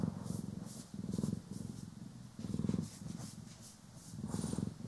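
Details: Domestic cats Poki and Kiwi purring while being groomed and brushed indoors, recorded in stereo: a low, pulsing purr rising and falling in breath-length swells roughly every second and a half, with soft brushing strokes above.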